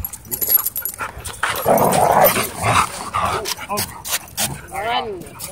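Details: Dogs playing together at a dog park: rough, noisy barking and growling, then a quick run of high, arching yelps toward the end, mixed with human voices in the background.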